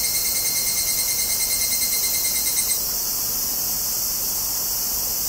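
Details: A chorus of Tanna japonensis cicadas in Kobe, Japan, 14 August 2011, captured with a Zoom recorder. A fast, regularly pulsed ringing buzz rides over a steady high-pitched hiss, then stops and leaves the continuous shrill wash.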